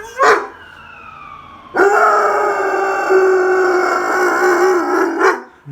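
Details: German Shepherd dog howling indoors: a short yelp, then one long, steady, sustained howl with rich harmonics lasting over three seconds, ending in a brief higher yip.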